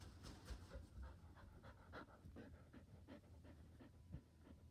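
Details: Indoor Border Collie keen for ball play, panting fast and steady, about four breathy puffs a second, each rasping burst evenly spaced across the whole stretch.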